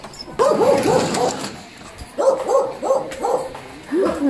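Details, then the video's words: American Bully named Lexie whimpering during labor while delivering her first litter at home; short, high, arching whines and yips come in quick uneven bursts, separated by brief pauses, with people talking nearby. "Our American Bully Gave Birth Normal (Labor And Delivery Vlog)"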